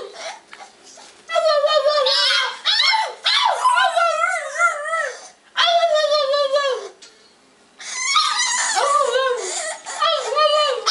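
A French Bulldog cries with long, quavering whines, each sliding up and then down in pitch. The plaintive bursts come in several runs of a second or two, separated by short quiet gaps in a small room.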